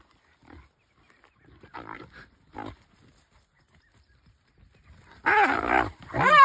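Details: Brown hyenas fighting, heard on a bush walk, give loud, wavering squeals and yelps after a few soft grunts.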